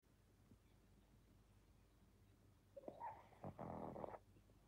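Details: A sleeping pug snores: after near silence, one rough, raspy snore of about a second and a half, with broken, fluttering bursts across low and middle pitches, then quiet again.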